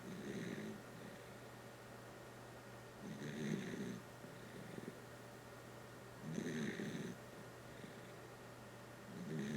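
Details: Deep sleep snoring by the dachshund Kotaro: four rough, rumbling snores about three seconds apart, each lasting under a second with breathy upper hiss, steady and rhythmic over a quiet room hum.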